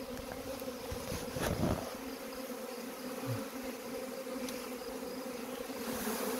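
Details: A honey bee swarm being collected gives off a steady, droning hum, with a few handling knocks.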